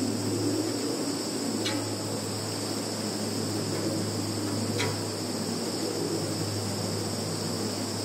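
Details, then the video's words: Field insects in Zhukovsky district, Russia, captured by phone in September 2019: persistent high thin trilling, two soft clicks, with a heavier low rumble and steady hum underneath. "Sounds of insects in field"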